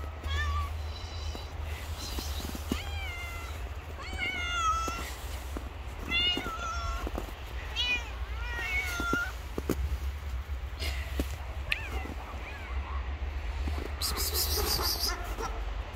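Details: Hungry stray cats living on the street after snowfall meow repeatedly, a series of short, wavering, bent cries every second or so in the first ten seconds, then quieter calls over a constant low outdoor rumble.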